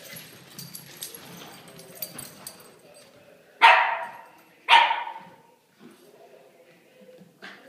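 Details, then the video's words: Two loud, sharp puppy barks about a second apart break a stretch of low background murmur and shuffling while the puppies play, followed by a faint third bark. "Crazy puppies playing"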